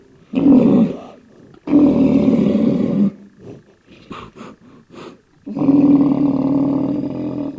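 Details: Aggressive black rhinoceros (Diceros bicornis) giving loud, deep growling roars: three long harsh bellows, each about a second or more, with short breathy snorts between the second and third.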